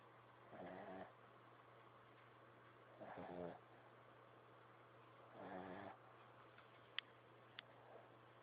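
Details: Small dog asleep and snoring: three rough, rattling snores about every two and a half seconds over a steady low electrical hum, followed by two faint sharp clicks.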